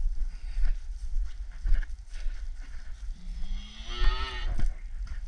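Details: Red Angus cow or calf penned while a few calves and cows are worked and one is castrated. A single low moo slides slightly upward, then breaks into a brief rougher ending, over steady rumbling background noise.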